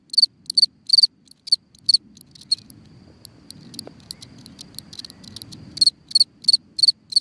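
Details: A cricket chirping at night from its hole in the ground, its high, sharp chirps clear at the start and end. In the middle, low rustling and scraping noises largely cover the weaker chirps.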